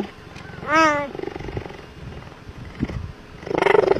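A cheetah gives a single catlike meow, rising then falling, rich in harmonics.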